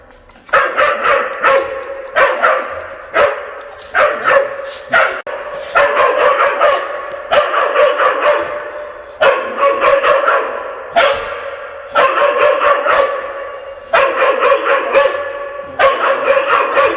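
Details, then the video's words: Fierce dog barking loudly indoors, recorded up close on February 11, 2022, the room adding echo; harsh, broadband barks come in tight volleys of several, each burst separated by brief pauses of about a second. "성량 좋은개~ 개짖는 소리 울림 효과음"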